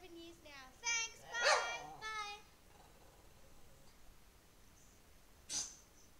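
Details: An 11-year-old male Lhasa Apso 'sings' in a string of wavering, high, harmonic howls that rise and fall.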